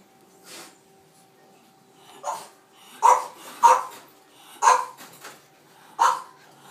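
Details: Cream-coloured male French Bulldog puppies, three of them, born 12 April 2023, indoors: a series of short high yelps and squeaks, about six bursts spaced roughly a second apart, with a faint steady hum behind.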